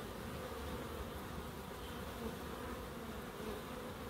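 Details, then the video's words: Steady, dense buzzing from bees in a small Crookes wildlife garden. The low, humming drone is unbroken and fairly even in loudness, with faint higher hiss behind it. "1hr of Relaxing Bees"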